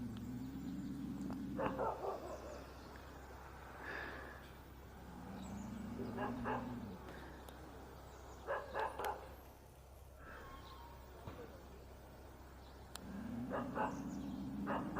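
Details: Korean country dog (sigol dog) barking in short bursts near 2, 6.5, 9 and 14 seconds, sharp harmonic barks separated by quieter gaps, with a steady low hum and a droning tone in the background.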